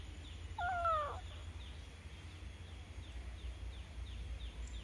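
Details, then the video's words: A domestic cat gives a single short harmonic meow that rises and then falls, lasting about half a second, over steady low hum and faint, regularly repeated high chirps in the background. "Si meong Kucing Lucu - meong-meong"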